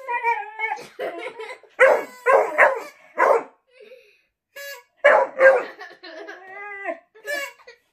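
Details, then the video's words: Rocket, a pet Beagle, trades drawn-out aroo howls with a man in a playful contest over who can make more noise. The dog's wavering, tonal howls rise and fall, alternating with loud human vocal outbursts and brief gaps of silence. "Rocket the Beagle vs Dad | funny who can make more noise aroo competition"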